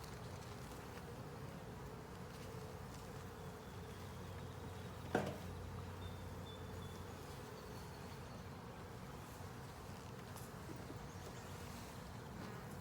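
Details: Steady hum of a honey bee colony in a 10-frame deep with a honey super, heard while frames are inspected. A single sharp knock sounds midway, and a faint low tone lingers briefly around it.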